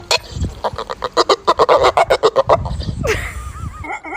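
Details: Dog making a strange sound: a rapid run of about fifteen honking, goose-like pulses packed into two and a half seconds, then a rumbling, squeaky tail as the calls break off.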